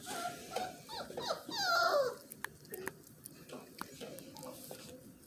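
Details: Miniature Australian Shepherd pups indoors letting out rising, high-pitched squeals and whines early on, then quieter with scattered clicks and taps.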